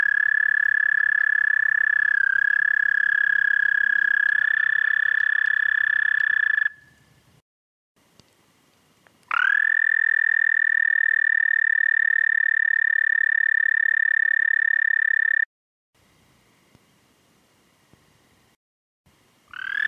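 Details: Toad singing at night, 11:13 p.m. CDT on 30 May 2014: long, steady, high musical trills, the first lasting about seven seconds with a slight dip, then a pause and a second six-second trill, a third starting at the end.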